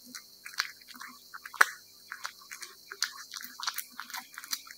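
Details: Cat eating wet food, with a busy run of moist clicks, smacks and licking squelches several times a second and one sharp louder snap near the middle; a faint steady low hum sits underneath.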